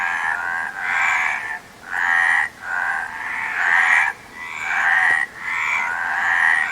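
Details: A frog chorus of drawn-out, rattling croaks, each burst close to a second long, followed by brief near-silent gaps, the overlapping voices giving a throbbing, pulsing rhythm.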